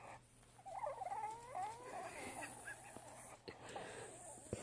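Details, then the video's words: Staffordshire Bull Terrier making silly noises whenever its owner says no; wavering, up-and-down whining moans for about two seconds, trailing into softer grumbles, then a person sharply saying no at the end. "Staffordshire Bull Terrier making funny noises"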